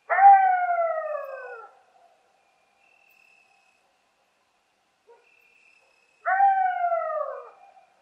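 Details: Coyote (Canis latrans), howl.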